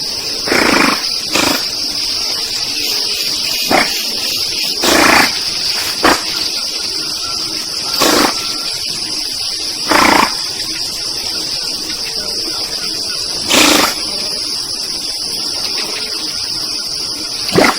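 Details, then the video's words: A group of giant otters in the Pantanal, Mato Grosso do Sul, Brazil, giving short, harsh, broadband bursts at irregular intervals of one to three seconds over a steady, high insect drone. "Um grupo de Ariranhas"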